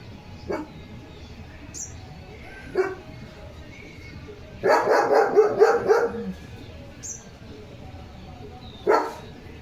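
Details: German Shepherd Leo, straight onto alert duty after bathing, gives isolated single barks spaced a couple of seconds apart with a short burst of rapid barks in the middle, over faint background chirps and a woman's voice.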